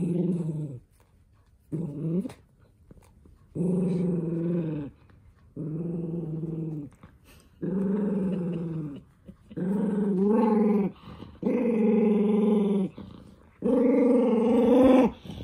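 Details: Angry toy poodle Minato growling indoors as socks are pulled onto its paws; eight sustained, throaty growls in a row, growing louder and higher toward the end, separated by brief quiet gaps.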